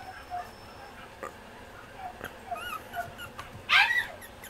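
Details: Female Pomeranian puppy, 60 days old, isabella and white coat, born 8 August 2014, in Mie, Japan: soft, thin high whines rising and falling, then one brief sharp squeaky yelp near the end, over quiet room hiss.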